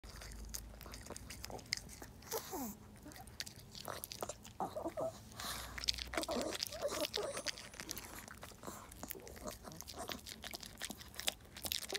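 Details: Crunchy biting and chewing sounds from a Maltese dog named Jaerong eating lettuce indoors, with faint speech, and no animal calls heard.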